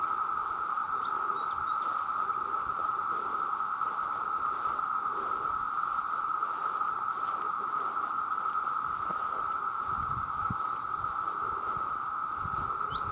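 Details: Millions of male cicadas calling to attract mates, very loud: a steady, unbroken droning whine at constant pitch throughout, with a fainter high shimmering band above it. Brief high chirps from birds come in near the start and the end.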